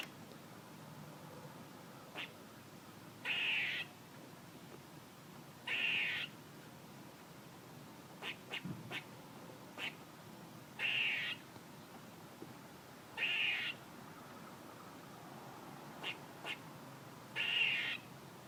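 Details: A squirrel repeats a harsh, hissy rasp seven times, each lasting about half a second and spaced around two to three seconds apart. Short faint ticks and clicks fall between the calls.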